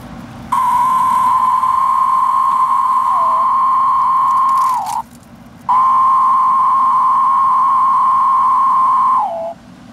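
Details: Captive male Magicicada tredecim periodical cicadas from Brood XIX, caught in Monticello, Arkansas, in late April to early May, give long, steady droning calls that drop in pitch at the end; a female answers twice with wing flicks.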